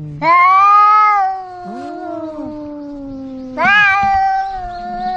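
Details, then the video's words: Domestic cat meowing, described as an angry tomcat alongside a kitten calling its mother; two long drawn-out harmonic meows, the first held over a second and the second starting near 3.5 seconds, with a fainter wavering cry between them. "Suara Kucing meong kucing jantan galak anak kucing panggil induk aneka suara kucing meong meong"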